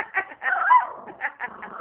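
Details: A dog greeting its owner and making cooing sounds when asked to talk; a few short, tonal, whiny coos in quick bursts, the longest in the middle, with a person's coaxing voice nearby.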